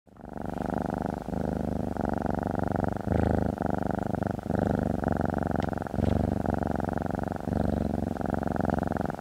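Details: A domestic cat purrs steadily while getting a massage, a deep rumbling vibration with brief pauses for breath.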